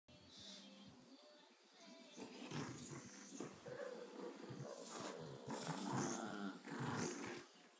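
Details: A Boston Terrier growls and grumbles in bursts while playing tug of war with a bulldog, with faint music and voices behind.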